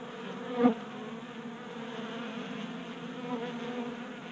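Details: Honey bees at a 3D printed bee feeder in a Colorado garage in January, a constant low hum of wingbeats with one brief, sharp click or tap early on.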